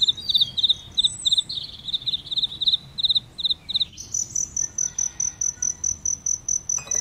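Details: Cricket at a flowering aloe vera gives clustered pulsed chirps for about four seconds, then a thin, high, steady insect trill takes over, pulsing rapidly to the end.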